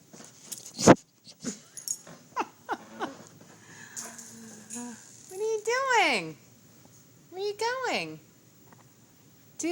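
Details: Duke, a pet dog that 'talks', answers a person's coaxing with two drawn-out, wavering moans that rise and then fall in pitch, like a yodelled howl, between stretches of human speech and small clicks indoors.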